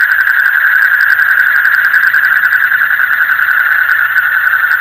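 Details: Night-time frog chorus, deep in the night, forming a continuous buzzing wall of fast pulsed trills that holds one even pitch throughout, with a low hum underneath.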